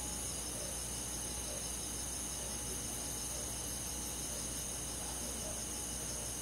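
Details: Countryside crickets and insects on a summer night keep up a bright, continuous pulsing chorus high in pitch, many voices blending into a steady hiss-like shimmer over a quiet low hum.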